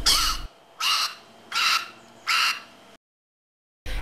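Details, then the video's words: A beluga whale gives a series of harsh, squeaky calls, about one every three-quarters of a second. "Here's a beluga whale squeaking. (whale squeaking)"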